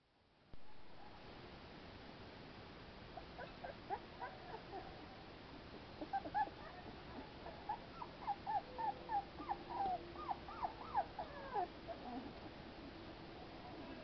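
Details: American Pit Bull Terrier puppies playing outside in fresh air; quiet background gives way to a run of high, squeaky yelps and whines, short rising-falling notes coming in quick bursts through the second half.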